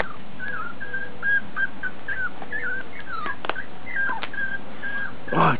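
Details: Piebald Miniature Dachshund puppies with ticking, born in July, give repeated short high whines and squeaky whimpers, wavering and bending in pitch, with brief clicks and a louder burst at the end.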